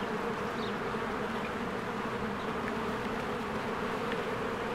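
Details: Honeybees flying to and from a cozy hive during spring bloom; a steady, humming swarm buzz without pauses, with occasional tiny bird notes in the background.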